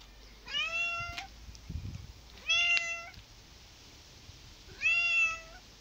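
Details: Cats meowing, three drawn-out harmonic meows with a slight rising then level pitch, separated by short pauses, with faint handling noise between calls.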